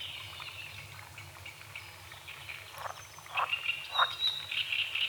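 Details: Frogs croak at dawn over a small lake on a forest edge with morning fog on the water. Short, gruff croaks come roughly every half second in the second half, over steady bird chirping and a high insect hum.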